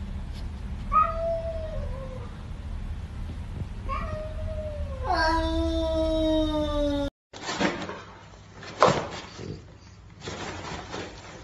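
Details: Pet cat in a funny compilation giving a series of meows: two short wavering cries, then a longer drawn-out falling meow, before an abrupt cut to a noisy indoor scene with bumps and rustling.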